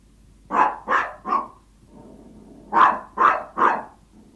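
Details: A hungry Toy Yorkshire Terrier barks in two quick bursts of three sharp, high yaps, asking its owner for food.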